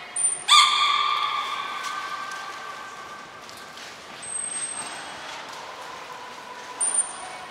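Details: Training session with belugas Nana, Niko and Mirai at Port of Nagoya Public Aquarium, 23 February 2023. A sudden harmonic squeal lasts about a second and a half and then trails off quietly. Short, thin, high whistle tones sound at the start, the middle and the end.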